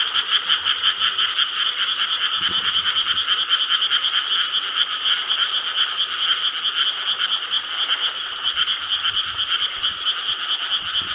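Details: Many frogs calling together from rice paddies in Korea on the night of 4 July 2013, a steady wall of fast pulsed croaks, unbroken throughout, faint low thumps in the background.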